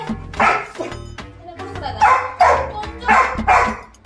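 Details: Angry, jealous Labrador Retriever puppy barks in bursts roughly every half second to a second, sharp and loud, with music playing underneath throughout.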